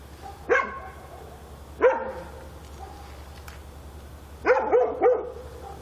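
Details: Dog barking at night in Korea: two separate single barks followed by a quick burst of three, with quiet gaps and a steady low hum between.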